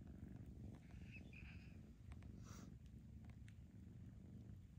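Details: Foster kittens being socialized for adoption purr steadily, a deep continuous rumbling throb with faint brief high clicks and rustles over it.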